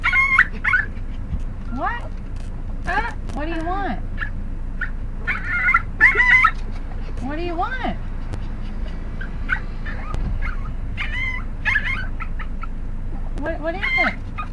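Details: Female pet dog making the strange noise she gives every time she is taken to get cigarettes: repeated, whiny, yodel-like bursts that swoop up and down, each about a second long, while a person keeps talking to her.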